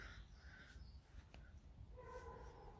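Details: Alice, a pet fox kept at home, complains in the morning just after waking: a short, harsh, tonal whine with layered bands comes near the end, after a quiet stretch with faint clicks and low room rumble.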